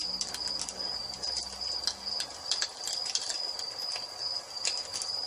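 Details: Evening crickets beside a fireplace keep up an unbroken high-pitched trill while the fire snaps and crackles irregularly; a faint low steady tone runs through the first half.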